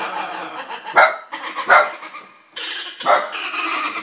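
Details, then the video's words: Dog upset by keyboard sound effects, giving rough, noisy grumbling barks mixed with three loud, sharp clicky bursts from the effects and a short quiet gap midway. "My dog HATES my keyboard's sound effects!"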